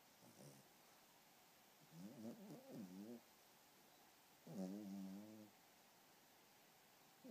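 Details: Sleeping Pomeranian puppy snoring, soft wheezy tonal snores in three separate breaths, the longest about a second, over a quiet room, with a person talking just after.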